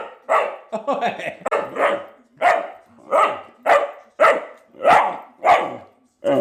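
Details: Jett, a male Vizsla puppy only a few weeks old, barks repeatedly in short, rough yaps, about one every half second to second, fairly steady, with nothing else prominent behind them.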